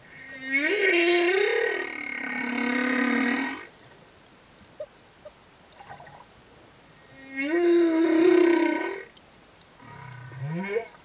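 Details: Singing male humpback whale escorting a female and her calf near reefs in Tonga: two long, loud moaning phrases with a wavering tone that rises and falls, separated by a quiet pause, then a short rising upsweep.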